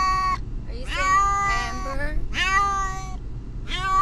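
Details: Pet cat calling in distress while being driven to the vet; long, wavering wails with a rising onset, three in a row plus the edge of a fourth, against car engine rumble.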